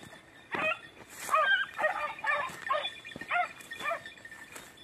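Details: Beagles, red and blue tick and lemon white, in hare hunting practice on Crete Island in 2021, giving short, harmonic yelping bays in an irregular series, about seven bursts within five seconds, outdoors.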